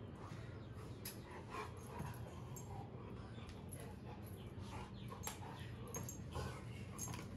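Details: A Rottweiler play-fighting with its owner, without biting, makes low, rough growls and short bursts of sound, with a person speaking.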